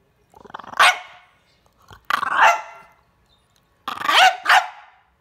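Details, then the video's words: French Bulldog at dinner time telling its owner it is hungry: three bursts of hoarse, whiny barking, the first one drawn out, then a short pause and a final double yelp, in a quiet room. "French Bulldog Dinner time!"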